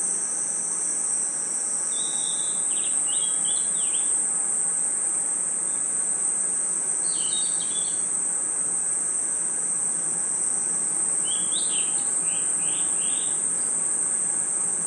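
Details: Crickets and other insects at night in a forest: a steady, unbroken high-pitched ringing drone throughout, with three short bursts of bird-like twittering phrases at a lower pitch.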